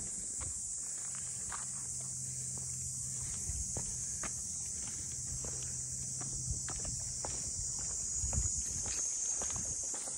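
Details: Steady, piercing high buzz of cicadas over the seaside boathouse district of Ine no Funaya, north of Kyoto, Japan, heard while walking; soft footsteps tap irregularly and a low mechanical hum runs underneath.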